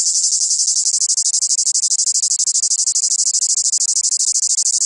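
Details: Chorus of cicadas from the south: an intense shrill buzz chopped into fast, regular pulses like a rattling motor, continuing without a break for five seconds over a faint low hum.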